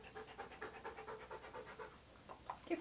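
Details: Siberian Husky named Key panting while being posed in hats and clothing for a photoshoot; rapid, steady breathy puffs repeat evenly for over two seconds, then a couple of sharper noises at the end.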